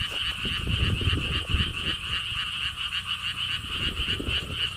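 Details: Frog chorus from the lotus ponds of Gwangokji in Siheung, Korea, along a stone wall path: many frogs trill in overlapping rapid pulses forming an unbroken rattling drone, while gusts of wind rumble low underneath.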